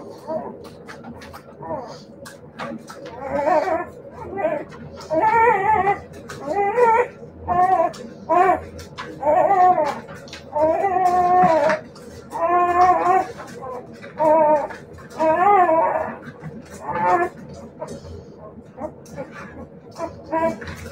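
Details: Siberian Husky puppies giving a run of drawn-out, tonal whining howls, each a second or so long with a wavering pitch, arriving in uneven bursts with short pauses between them.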